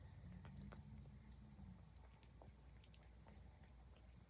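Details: Grooming Highland Lynx cat gives a soft, low purr that is strongest in the first two seconds and then fades, with moist licking ticks and small clicks throughout.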